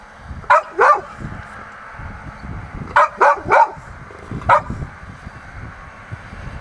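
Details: A Golden Retriever in Hokkaido, excited at sensing its owner's presence, gives sharp, mid-pitched barks in quick bursts of two or three.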